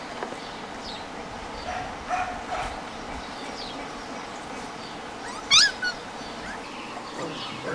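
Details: Playful puppies from Copy and Peach's litter, six to seven weeks old, romping together; mostly quiet rustling, then a sharp high yelp near the middle followed by a brief softer whine, with faint birdsong chirping in the background.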